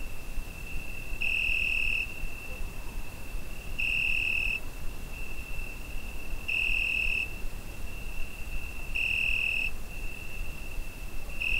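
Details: Cricket on a summer night, Zoom H5 recording: a sustained piercing trill punctuated by louder bursts of under a second, about every two and a half seconds, over steady low background noise.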